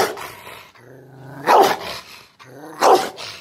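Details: An angry Rottweiler, teased, gives a low, rumbling growl that breaks into two sharp, loud barks.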